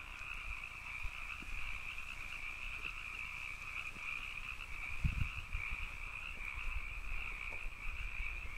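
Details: Canyon frogs in a continuous dense chorus, a steady high buzz layered over a lower band, with scattered low thuds around the middle.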